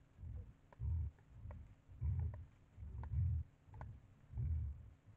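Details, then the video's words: At a bait site, a white-lipped peccary repeats short, booming low grunts roughly once per second, five or six in a row, with scattered crisp clicking sounds over them. "porco queixada na ceva"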